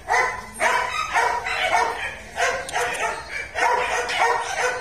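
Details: Belgian Malinois litter at a kennel in Vietnam, one noted as black-coated; high yapping barks come in quick bursts roughly every second, several young voices overlapping, with music playing underneath.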